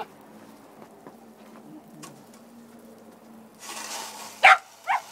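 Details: Parker, a male Shetland Sheepdog, outdoors as snow is shoveled, barks angrily when the shovel bumps him: two sharp, loud barks close together near the end, after a stretch of quiet scraping and rustling.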